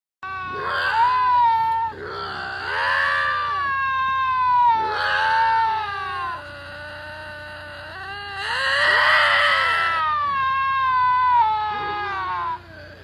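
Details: Two lynx screaming at each other: a series of loud, wavering, harmonic yowls, each rising then sagging in pitch, overlapping and trading back and forth with short breaks between bursts.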